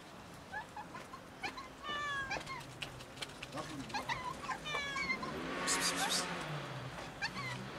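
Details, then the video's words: Many cats waiting near a building to be fed and petted; several overlapping harmonic meows, some rising then falling, scattered through the clip, with a human voice and outdoor background noise. "So many cats wait near a building for someone to feed and pet them"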